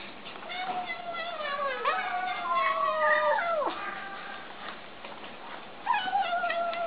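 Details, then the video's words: Kittens vocalising as they eat: a run of overlapping warbling, whiny cries sliding up and down, ending in a downward swoop, then a fresh higher cry after a brief pause. "Kittens Make Funny Noises While Eating"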